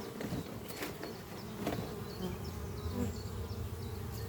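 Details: Dense, even buzzing of honey bees flying at their hive under trees on a spring morning while workers bring in pollen; short high bird chirps repeat throughout above the steady low drone.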